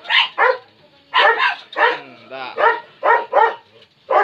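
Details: Labrador Retriever barking in short, loud bursts, mostly in quick pairs, about nine barks over four seconds with brief pauses, and a softer drawn-out voiced sound between them.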